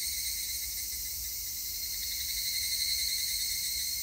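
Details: An evening cicada (higurashi), recorded on 3 August 2021, sings a continuous high, shimmering trill that stays level. Other insects may call in the background over a faint low rumble.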